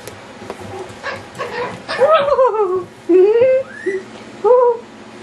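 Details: Yorkshire Terrier puppies going wild at play: a run of short yips builds into several high, wavering whimpers and whines, some rising then falling, spaced irregularly over five seconds against soft room noise.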